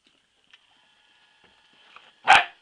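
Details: Female Labrador Retriever puppy, 12 weeks old and in training, gives a single short, sharp bark near the end after a mostly quiet stretch with faint background tones.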